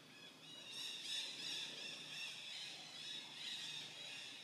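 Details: A young monkey, lonely and hungry, keeps looking around and gives thin, high squeals in quick succession, calling out for its family.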